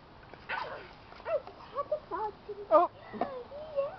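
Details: Keeshond puppies indoors giving a series of short, high, wavering whimpers and yips, some bending up and down, spaced irregularly over a few seconds, with faint talking nearby.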